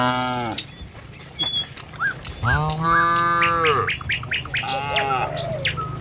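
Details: Tame cattle on a village road heading to their pen in the morning: a low moo fading out, then a long rising-and-level bellow around the middle and a shorter one after, with bird chirps throughout.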